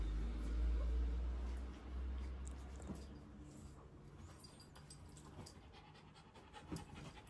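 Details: A female Shiba Inu from Japan, in a scene where a brown Shiba born 2015 is intensely jealous of a calm white one born 2017, pants in quick, breathy, uneven puffs with a few soft low huffs.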